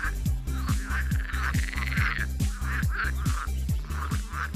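Frogs croak in a chorus, with deep, rapid, regularly repeated croaks and higher calls above.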